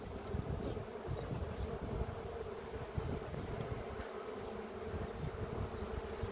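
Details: Steady, dense droning of many honey bees from a colony described as aggressive, heard while a beekeeper checks the queen after honey harvest in a village near Ceyhan, Turkey; even hum throughout with some wind noise.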